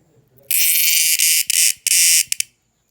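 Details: Insect noise at night: an intense, rasping high buzz starts abruptly, breaks briefly twice, and then stops after about two seconds.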